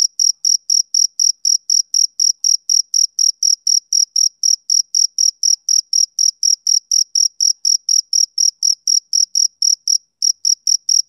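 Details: Male cricket on a summer evening, giving rapid, piercing chirps at about four per second in a steady train, with one brief skipped beat near the end and no other sounds.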